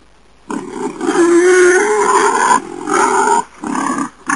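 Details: A wild boar (Sus scrofa) calls with harsh, rasping growls and squealing snarls in loud bursts.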